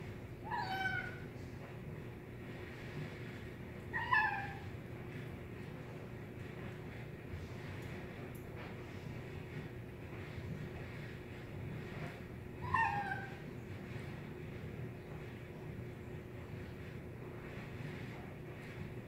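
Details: Kitten making nom nom noises while eating; three brief descending mews at about 1, 4 and 13 seconds, separated by long quiet stretches with a constant low hum.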